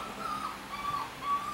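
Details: A brief run of soft, high whimpers from the puppy Push, who nightly escapes the litter to sleep with his mother Risk; the short whines are spaced about half a second apart.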